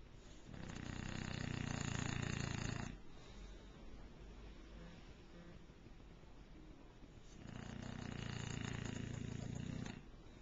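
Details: Bulldog Kwyjibo sleeps on a bed in the morning and gives two loud, rumbling snores, each lasting about two to three seconds and roughly seven seconds apart, with quiet breathing between.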